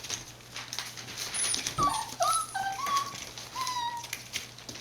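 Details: Border Collie puppies born 19 September 2020 and filmed 1 November 2020 at a breeder in Fukiage, Hioki, Kagoshima, Japan, give thin, high whining whimpers, several short tonal cries in quick succession over faint indoor clatter.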